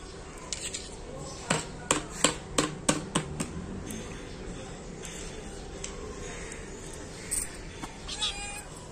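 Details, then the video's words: Hungry small black kitten with a cat, calling in a quick run of about seven short, sharp meows between 1.5 and 3.5 seconds, then a few fainter scattered calls over steady background noise. "small black cute kitten and cat so hungry"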